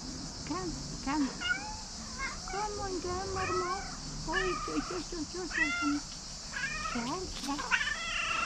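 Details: Cat at a tree meowing and trilling as if wanting to tell something: a steady run of short, bending, chirpy meows and trills every half second or so, with a man's voice talking quietly in Dutch.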